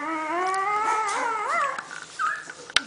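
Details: Female Bullmastiff puppy, one week old, complaining while relieving herself: a long sustained whine gently rising, ending in a short wavering arch, then a brief fainter cry and a sharp click, a woman's voice nearby.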